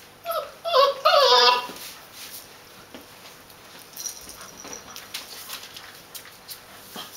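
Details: Puppies of a litter at 31 days old, indoors; a few high wavering whimpers and yips early on, then quiet with soft shuffling and faint squeaks.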